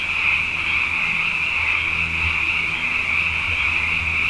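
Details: Abundant frogs at night after two wet years in a row: a continuous high trilling chorus from many callers, with a low, steady humming drone in the background.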